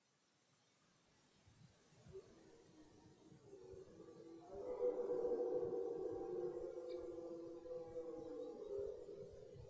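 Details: Red deer stag roaring at the start of the autumn rut in German forest: a long, drawn-out harmonic bellow swelling from about four seconds and holding several seconds, after quiet background with a few faint clicks.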